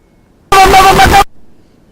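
A desert rain frog lets out a single harsh, buzzy squeak lasting under a second, with a shaky, toy-like tone. This angry war cry is the frog's defence when provoked.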